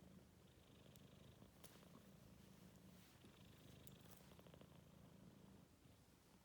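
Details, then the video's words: A worn-out Maine Coon kitten, 4 months old, gives a continuous deep rumbling snore or purr with a faint hum. The low, even breathing texture barely changes across the short stretch. "Кот храпит"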